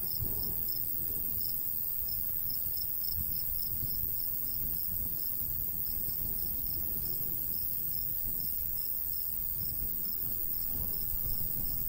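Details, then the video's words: Crickets in a summer countryside wheat field, a steady series of high, pulsed chirps repeating through the clip over a low rumble of light breeze. "cricket sounds"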